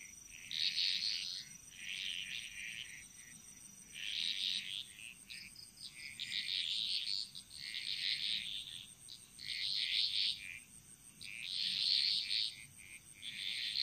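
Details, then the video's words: Frogs singing together in the jungle of Bali: loud, dense, buzzy high-pitched bursts of calls swell and fade roughly every two seconds, separated by quieter gaps, with a faint steady high hum underneath. "Frog Mantras - Relaxing Sounds Of Bali"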